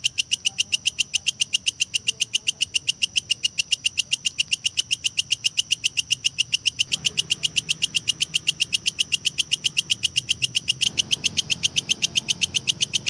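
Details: Steady, insistent ticking from a kecek grasshopper, offered as training sound for competition lovebirds to build song duration and fill, runs continuously at about four pulses per second over a soft low rumble.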